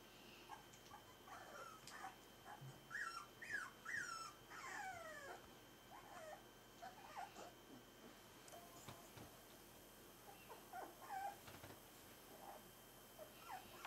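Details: Four-week-old Smooth-faced Pyrenean Shepherd (Berger des Pyrénées à face rase) puppies, whining and whimpering in a series of high, sliding, squeaky cries, bunched around the third to fifth second, then scattered softer whimpers against a quiet background.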